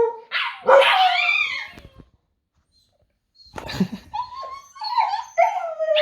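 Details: Husky cross dogs, pomskies, one seven months old imitating another's howling: a burst of mixed yowls and barks, a silent gap of over a second, then wavering, broken howl notes with harsh edges; people coaxing nearby.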